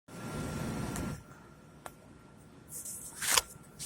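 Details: Faint indoor room noise with a low rumble, a steady hum, a few clicks and brief rustling or shuffling, with no animal voice heard.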